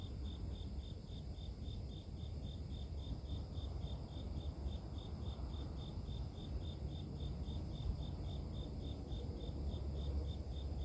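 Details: Cricket chirping in nature, offered as sleep-inducing white noise: a high, steady chirp pulsed about four times per second without pause, over a constant low rumble of background noise.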